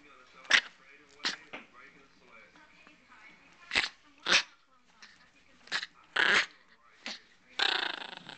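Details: A 2½-year-old male Chihuahua gives short, rasping growls and snarls, guarding his pig ear and warning others away, recorded December 17, 2008.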